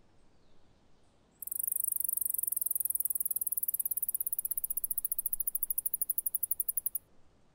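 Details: Male mouse singing in response to a female: a very high-pitched, rapid pulsed trill starts abruptly and runs for about five and a half seconds, its notes gradually slowing and spreading apart toward the end, over a faint low background hum.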